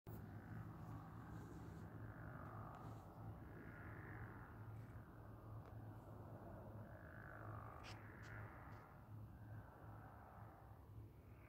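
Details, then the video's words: Frog or toad chorus under a moon reflected in water: overlapping rough trills rise and fall in long swells, with a steady low hum beneath and a few brief clicks near the end. "Frog/toad symphony with moon reflection"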